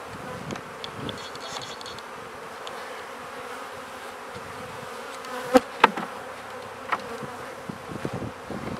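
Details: Steady drone of many honey bees at new hives being fed, an even low-pitched hum throughout with occasional faint clicks and two brief sharp taps just past the midpoint.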